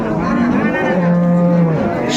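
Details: Cow with calf at Ambari livestock market in Dinajpur, Bangladesh, recorded 15 April 2024; a deep, steady moo holds one low pitch for almost a second, preceded by a shorter lowing note, over a busy market murmur.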